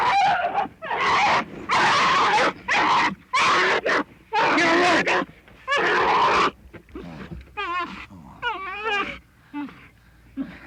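A bear cub bawls in loud, harsh, wailing bursts, then trails off into softer wavering whines.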